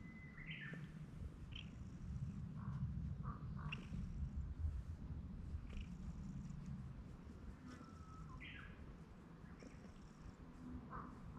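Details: Stray cat that had been sitting on a handrail comes down to the ground to be petted more; low steady rumbling purr fills the clip, with faint chirps and brief higher sounds above it.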